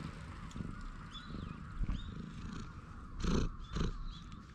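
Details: Stray cat on a park bench in Japan, grooming in a bold pose while being stroked, filmed on a GoPro HERO8: low, steady rumbling purr with soft rustling of handling and bright chirping birds in the background.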